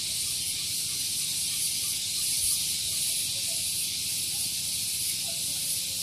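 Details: Cicada singing on a morning at Gunung Geulis, Bogor, West Java, near a vehicle parking area: a loud, unbroken high-pitched hiss with a faint rapid pulsing throughout, plus a low steady hum underneath.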